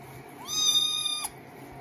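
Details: A kitten meowing while being bathed: one clear, tonal meow of under a second that rises quickly, then holds a steady pitch before cutting off abruptly, over a faint low indoor hum.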